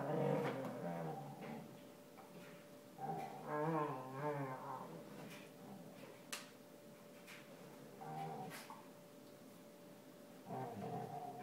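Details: Beta, a female basset hound, groaning while standing on her ears indoors. Low, wavering moans with stacked harmonics swell around four seconds, with shorter groans near the start and end, over a steady hum and faint clicks.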